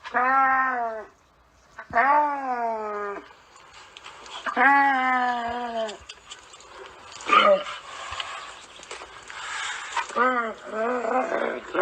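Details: Camel uttering a series of deep, drawn-out groaning moans, each sliding downward, separated by pauses, followed by rougher gurgling, breathy noises and shorter strained moans.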